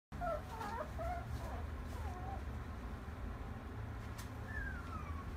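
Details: Female brindle French Bulldog, born 21 August 2017, at a pet shop: a cluster of short, high squeaky whines that bend up and down, then a single longer falling whine near the end, over a steady low hum.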